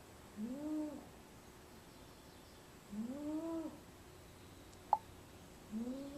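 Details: Napping in a small basket, the pet cat Venus snores three times, each breath a whistled nasal arc rising then dipping, spaced about two and a half seconds apart, with a single sharp click between.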